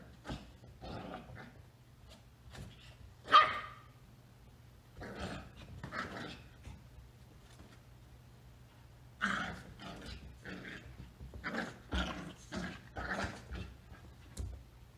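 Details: Two Rat Terrier puppies, Bella at 12 weeks and Macchi at 8 weeks, playing in their first days together: scattered short yips and sharp barks in uneven bursts, with quieter gaps between, and a steady low hum underneath.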